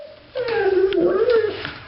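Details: Female pet dog Bailey Blue, excited at seeing another dog outside, gives one long, wavering whine-howl lasting over a second, indoors in a small room.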